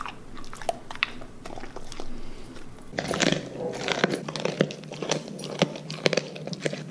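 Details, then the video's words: Siberian Husky eating raw meat and bones as a reward, chewing and grinding. Sharp, irregular crunches and bites come faster and louder in the second half, close up in a quiet room. "Husky Causes HUGE Crunching Sound Noises!"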